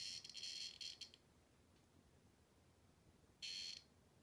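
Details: A cicada held in a dog's mouth gives harsh, high buzzing bursts, a long one at first and a brief one later.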